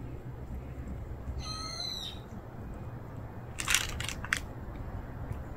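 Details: Stray cat uttering a single short, bright meow, followed a moment later by a cluster of sharp clicks or taps over a low, steady background hum.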